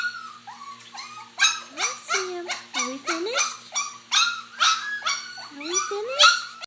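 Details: Several puppies eating mash, giving overlapping high, thin whines and short rising yelps that slide upward and fall back, punctuated by rough broadband bursts of noise roughly every half second.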